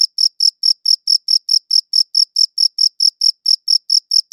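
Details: A cricket chirps in a brief, crisp sequence of high, clear pulses spaced about a quarter second apart, each with a faint upper overtone, recorded with a good audio recorder against total quiet.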